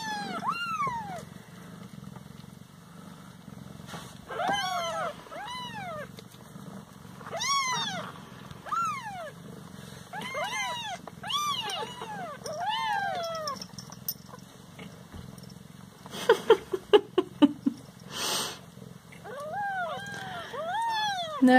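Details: Siamese house cats pestering their owner while she tries to eat: a long run of about a dozen insistent, arching meows, some overlapping, then a burst of rattling clicks, more meows, and her French speech nearby.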